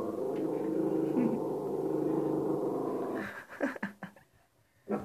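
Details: Cristal, a female shih tzu kept indoors at home and said to be going stir-crazy, gives a low, steady rumbling growl for about three seconds, then breaks into a few short, rising whimpers and yelps.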